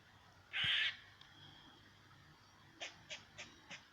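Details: A squirrel directing noises at a cat gives one harsh, rasping bark, then a quick run of sharp chucks.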